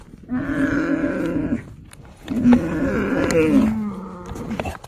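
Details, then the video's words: Himalayan yak calling: two long, low, rough grunting bellows, each over a second long, with a brief gap between them and the second trailing off into a lower moan. "Yak Animal Sound: Discover the Unique Call of the Himalayan Yak"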